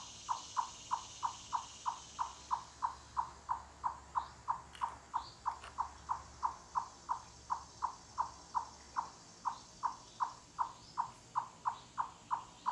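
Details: Forest chipmunk giving its far-carrying cluck-cluck call, like knocking on wood; a long, even run of short hollow clucks, roughly three per second, over soft hiss and faint distant bird chirps.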